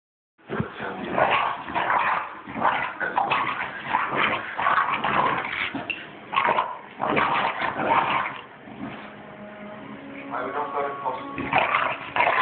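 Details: Two English Bulldogs, a three-year-old adult and a three-month-old puppy, play fighting: dense, irregular bursts of rough growling and snorting yaps about 80 times a minute, with a brief thin whine near the end.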